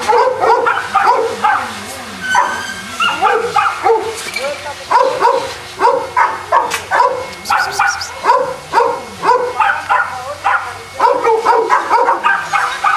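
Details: Several Boston Terriers at a kennel in Jamundí, near Cali, Colombia, bark continuously, short sharp barks and yips tumbling over one another in ragged bursts, with a few brief lulls.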